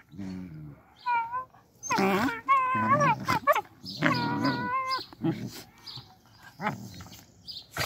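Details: Puppies kept behind a fence after an attempted theft give high, wavering whimpers and whines, rising and falling in short bursts, with some human voices mixed in.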